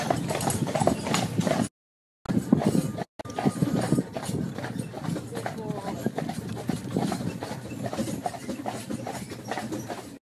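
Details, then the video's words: Carriage horses at White Horse Farm in Meopham, Gravesend, near London, their hooves clip-clopping in a steady run of sharp knocks, with people talking throughout and two short breaks in the sound. "تاجير عربات الخيول بريف قرب لندنWhite Horse Farm Carriages"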